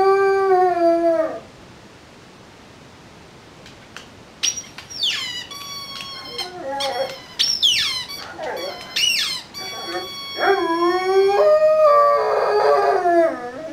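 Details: Three-year-old Rhodesian Ridgeback singing like a wolf: long wavering howls, some sliding down, others rising into high squealing yelps, with a quiet pause near the start and overlapping harmonic-rich tones toward the end.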